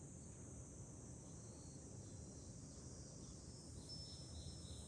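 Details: July cicadas on high ground above Fukuoka, Japan, give a continuous shrill buzzing band without pause, over constant low wind noise and a few faint higher tones.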